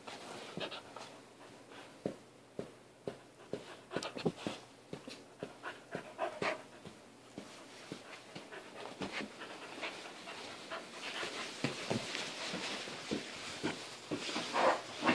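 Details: Thor, a 4-month-old white Alaskan Malamute puppy, pants in quick, uneven bursts of breathy huffs, roughly two per second. The bursts grow denser and louder toward the end, in what sounds like a small indoor room.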